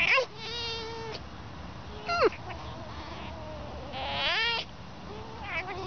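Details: A fox gives high, squeaky, dolphin-like whines, some held steady and others sliding sharply down or arching up, with a person talking to it.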